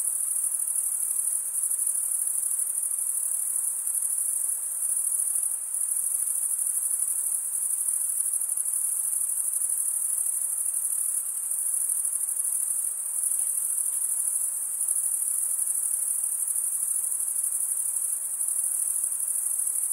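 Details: Male crickets stridulating, the top of one wing drawn along toothed veins beneath the other; an unbroken high, shimmering trill continues at even loudness, with a faint wash of lower hiss beneath.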